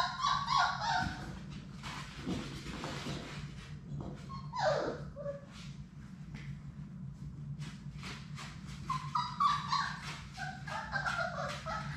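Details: Labrador Retriever puppies, a litter of six, playing in their puppy room: bursts of thin, high whining yips at the start, a squeal near the middle, and more clustered whimpers toward the end, with rustling paws and a constant low hum.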